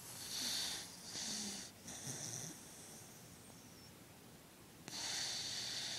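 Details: Male dog snoring while asleep and twitching indoors: a run of three raspy, hissing breaths in quick succession, a quiet gap of about two seconds, then another long wheezy snore.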